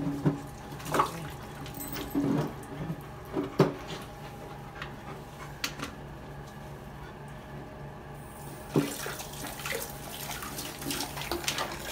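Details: Running tap water filling a sink indoors, with occasional knocks and clatters.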